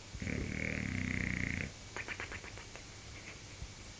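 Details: Sleeping bulldog snoring, one long rasping, rumbling inhalation lasting about a second and a half, followed by a fluttering, rattling exhale of quick pulses.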